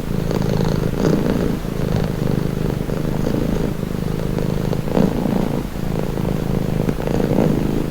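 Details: A cat's steady low purr, throaty and vibrating, rising and falling gently as it alternates between in-breath and out-breath about once a second.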